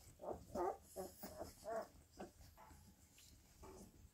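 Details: Bull terrier puppies play fighting indoors, giving a run of short, rough, harmonic growling yaps about three per second for two seconds, then fainter grumbles amid scuffling and soft thumps.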